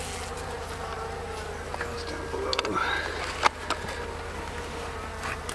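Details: Honey bees of a wild colony nesting roughly four years under a mobile home in a hive weighing almost 200 pounds; continuous droning buzz with brief clicks, knocks and a man's voice mixed in.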